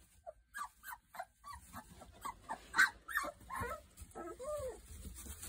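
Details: Boerboel pups at three weeks old give a run of soft, short whines at a steady pace, ending with longer, drawn-out arching whimpers over a low background rumble.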